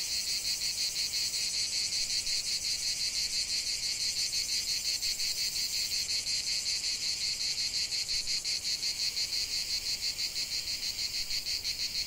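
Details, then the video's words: In a lavender field, cicadas produce a constant high-pitched rasping drone, pulsing rapidly and evenly, close to three beats per second, with no pauses over the whole stretch. "chant de CIGALES au cœur d'un champ de lavande"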